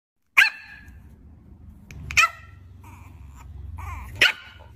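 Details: Puppy barking, three sharp, high-pitched yaps spaced about two seconds apart, each brief and bright, with a low steady hum and a few faint clicks between barks.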